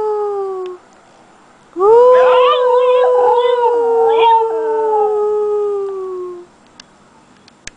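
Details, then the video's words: A Basenji learning to howl gives a long, steady howl, briefly wavering and yodel-like before slowly sliding down in pitch. "Indiana the Basenji Learning How to Howl"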